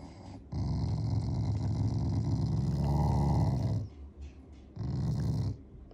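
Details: Affectionate growling from a Shiba Inu family dog that is not angry at all: a deep, gravelly rumble held over three seconds, a short break, then a second shorter growl.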